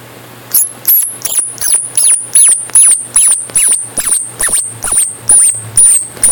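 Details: Baby squirrels that lost their mother during a storm, filmed close up: a steady run of sharp, very high squeaks, about two or three each second, each with a faint click, over a low background hum.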